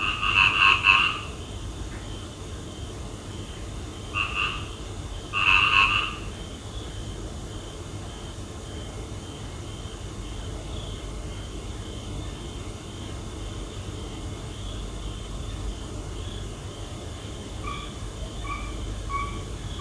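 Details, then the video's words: Night frog calls: a few loud, nasal croak bursts in the first six seconds, then only faint distant croaks over a steady low hum and a high insect drone. "Relax and listen to the sound of frogs at night"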